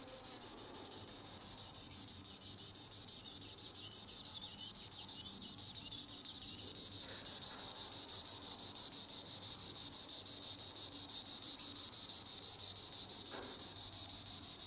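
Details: Green annual cicada (Tibicen linnei) in the treetops producing a sustained high, sizzling buzz with rapid rhythmic pulsing, growing a little louder after the first few seconds.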